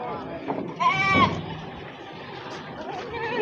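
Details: Goat at the Wage livestock market in Wadaslintang, Wonosobo, Central Java, during a morning of trading; one brief, quavering bleat rises above busy crowd chatter and market noise.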